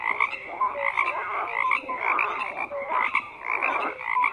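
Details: Croaking frogs fill the scene with overlapping raspy pulses and occasional short clear notes, bursts swelling every half second to second, forming a continuous layered chorus without other noises.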